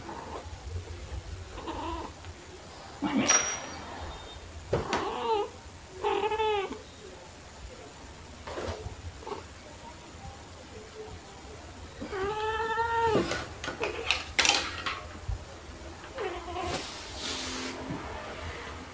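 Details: Indoors in March 2021, black cat Pepper and torby cat Kofi play hide and seek with fluffy toys. Several short, harmonic meows sound amid rustling, scratching and clattering of play. Recorded on a phone with a mini shotgun microphone.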